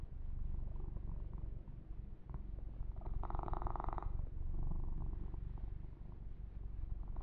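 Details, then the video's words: Massaged pet kitten Yumak giving a low, pulsing purr; a loud bright scratching of fur grooming sounds for about a second midway while the rumble continues underneath. "Kitten Massage - Perfect Sleep Helper Ear to Ear Purring"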